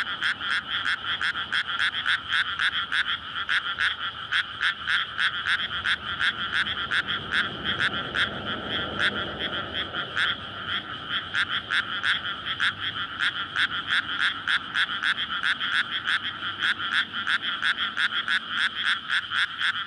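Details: Night chorus of frogs in a water-filled rice field before May planting, males courting so eggs can be laid; SONY PCM-D100 recording. Steady fast croaking from many frogs throughout, with a passing vehicle swelling softly midway.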